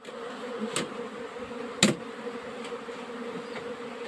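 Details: Honey bees hum in a steady, even drone during a summer nectar flow, with two sharp knocks briefly breaking through.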